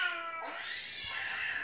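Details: Indoor pet cat that won't stop crying, with recorded cat meows played to it; one loud, bright, sustained meow with a brief lower onset, heard in a small room.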